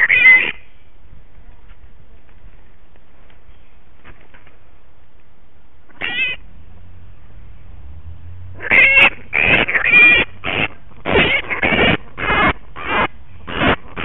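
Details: Punch, a cranky bat caught in rose bushes in a suburban backyard after a loud altercation with a dog, screams during rescue: a couple of isolated harsh squeals, then a fast run of rasping screeches with short gaps.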